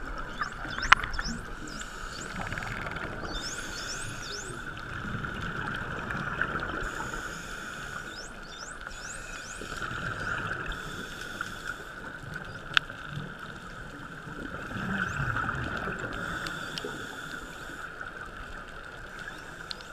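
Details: Friendly wild bottlenose dolphins met at Shag Rock, recorded underwater on a GoPro 3 during a dive safari: repeated thin rising whistles and sharp clicks scattered throughout, over a steady mid-pitched hum and low water rumble.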